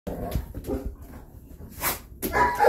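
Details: Rhodesian Ridgebacks from three generations of one family, grandmother, mother and grandchild, at home on a Saturday morning; short barks and yips amid a television playing news, ending in a louder burst of barking.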